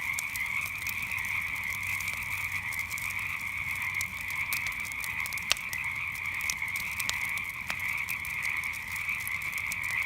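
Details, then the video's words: Night frog chorus beside a campfire: a dense, unbroken trilling drone in two steady pitch bands, with sharp wood crackles and pops scattered throughout. "Relaxing Sounds of Frogs and Campfire at Night"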